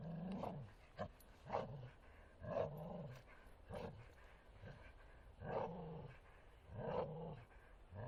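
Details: Martin the Bull Terrier playing in woodland, giving gruff growls in separate bursts about once a second, each low rumble capped by a rougher, higher edge, with short quiet gaps between.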